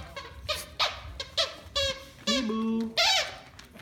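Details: Three pet pups indoors, playing and looking out the window: a run of short, high, yelping cries, then two longer, wavering whines near the end, with a soft voice faintly behind.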